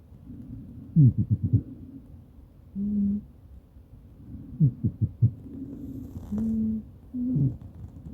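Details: Maine Coon cat snoring while asleep beside its owner, recorded on a smartphone; low rumbling breaths with short bursts of rapid pulses and brief nasal tones, repeating every few seconds.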